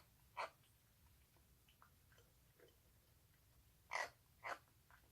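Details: Rescued baby stray cheese tabby kitten making odd sounds while eagerly eating, recorded 1 March 2019; three short, rough, breathy bursts near the start and end, with faint soft clicks of chewing between them in a quiet indoor room.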